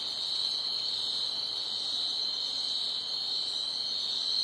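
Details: Crickets at night, chirping loudly in a dense, continuous high-pitched chorus that forms a steady shimmering band without pauses, with fainter higher trills layered above and no other clear sounds.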